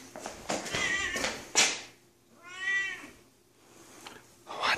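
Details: Female Siamese cat pressing for attention from her owner after his business trip: one clear drawn-out meow in the middle, with rustling and handling noise before and after, indoors.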